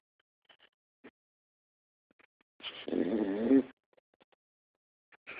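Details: Pit Bull asleep with its tongue sticking out, snoring in a funny way. Near-silence with faint soft clicks, broken by a single rough, rasping snore about one second long, and another beginning at the end.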